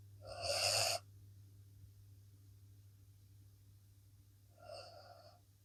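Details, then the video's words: A blue Akita Inu asleep after a long day snores: a loud, breathy, wheezing rasp near the start, a long quiet pause, then a softer second snore, over a low steady hum. "snoring akita"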